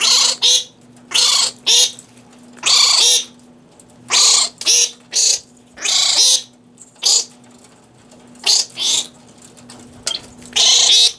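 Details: Captive fruit bats eating fresh romaine lettuce at the Organization for Bat Conservation, Cranbrook Institute of Science, Bloomfield Hills, Michigan; repeated harsh, buzzy screeching bursts, each under a second, coming irregularly throughout with a steady low hum behind.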